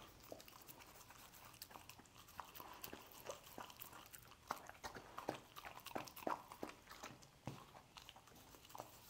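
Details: Dog indoors in a small room eating scrambled egg: wet, smacking chewing and lapping, with irregular soft clicks and crunches about every half second, fairly quiet throughout.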